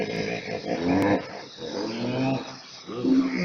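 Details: A hippo's honk above water, likened to deep laughter, comes as three deep harmonic bursts, each with a brief rising tone. The bursts are spaced a little over a second apart and sound slightly muffled and roomy.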